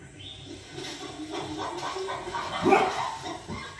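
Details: A golden retriever "protecting his sister" from monkeys on TV gives gruff, protective barks and whines against the television noise.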